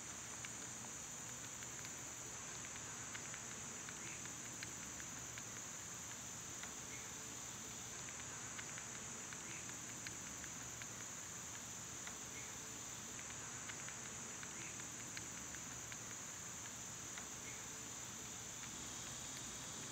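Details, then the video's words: Cicadas in summer fill the air with a loud, unbroken high buzzing drone that holds steady throughout, with faint scattered ticks and patter underneath. "Cicada sounds"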